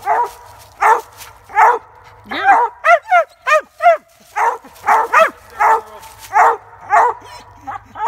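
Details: Treeing Walker squirrel hound giving loud, ringing chop barks and yelping bays in quick succession, some notes bending down in pitch, about fifteen calls in eight seconds, with a faint low hum beneath.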